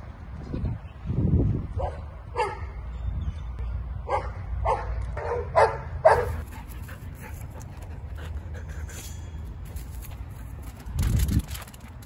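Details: Female Australian Shepherd at an adoption shelter giving a loose run of short barks and yips in the first half, then quieter low rumbling and background noise.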